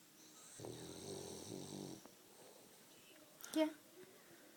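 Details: French Bulldog snoring: a single rough, buzzy, low snore lasting about a second and a half, then quiet breathing and a short sharp noise near the end.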